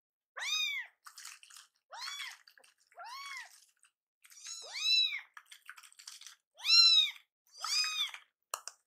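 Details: Hungry foster kittens, a rescued pair named Kii-chan and Chakkun, protest a late milk feeding indoors with insistent rising-falling meows, seven calls in quick uneven succession, some overlapping, with soft chewing-like clicks between.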